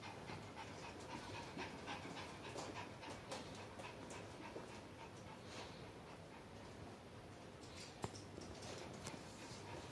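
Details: A dog panting quietly, with rapid, uneven breathy puffs of soft broadband noise, about three or four each second, with a brief sharp click near the end.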